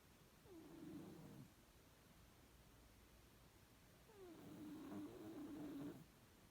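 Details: Domestic cat snoring in its sleep: two soft, drawn-out nasal tones, each about a second long and starting with a brief upward slide, separated by quiet breathing pauses in a still room.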